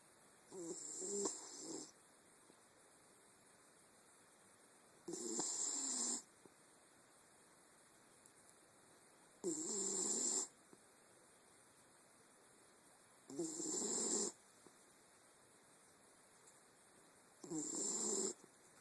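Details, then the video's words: Sleeping Wire Fox Terrier snoring steadily: five rasping, breathy snores about every four seconds, each lasting roughly a second, with quiet pauses between them and a faint steady hiss in the background. "Wire Fox Terrier, Ma La Snores"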